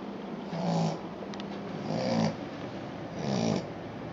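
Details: Sleeping Australian Shepherd puppy indoors, snoring in three slow, even, low rasping breaths, each lasting about half a second and spaced about 1.3 seconds apart, in a quiet room.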